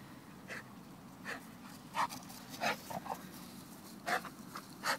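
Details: Pet American Bulldog, filmed 17-11-2013, breathing in short breathy bursts, about seven uneven puffs over five seconds, some louder than others, with a steady low hum underneath.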